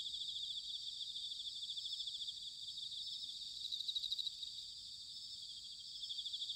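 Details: Quieter autumn chorus of bell crickets recorded at Sanuki, Chiba Prefecture, Japan: a continuous high, shimmering trill from several insects, with slight pulsing swells in loudness and faint low rumble beneath.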